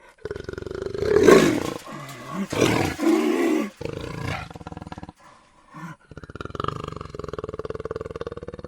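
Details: Jaguar letting out several hoarse, moaning roars with a tonal edge, strongest early on, fading into quieter, breathy rumbling toward the end.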